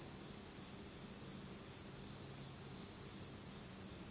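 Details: Night insects singing in autumn in Japan under complete darkness: a continuous sharp, high trill with gentle pulsing rises and falls in volume about twice a second.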